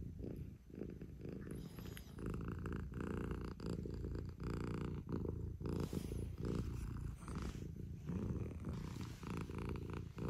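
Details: Early-morning purring from a house cat arriving to rouse its sleeping owner: a dense, continuous low vibrating rumble, evenly pulsed throughout, with faint bedding rustles.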